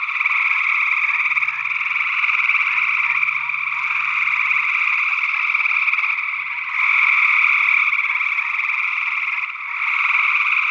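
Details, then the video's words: Gray tree frog chorus from Northwest Wisconsin in early June 2022, alongside an unidentified second frog species, on an ORTF condenser pair. Dense trilling runs throughout, briefly fading then surging louder, over a faint low hum early on. "Gray Tree Frog Calls"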